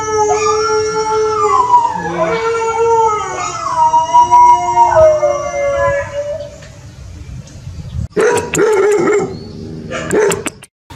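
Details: Domestic dogs howling in a compilation of howling and barking: long sustained harmonic howls, several voices overlapping and gliding downward over about seven seconds, followed by a burst of rough barking and yips near the end.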